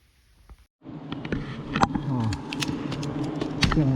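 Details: Giant honey bees at two large, low-hanging wild nests during a honey-hunting trip, 22/12/68. A steady low droning buzz with layered harmonic bands runs under a man's talking, with scattered clicks and handling noises.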